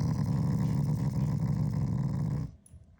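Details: Affectionate growl from a Shiba Inu directed at its owner, not angry; steady low rumbling growl lasting about two and a half seconds before fading to near silence.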